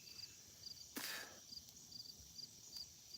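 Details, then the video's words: Crickets chirp in steady, high-pitched pulses, repeated a few times each second, near a field and a swampy pond during a drought, with one sharp crackle from a campfire. "You can hear them crickets."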